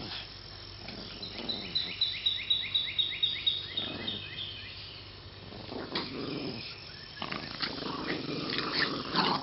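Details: Two Boston Terriers playing tug of war, June 2013: a run of short, rising, whiny notes about twice a second, then rougher growly, noisy sounds with scuffling.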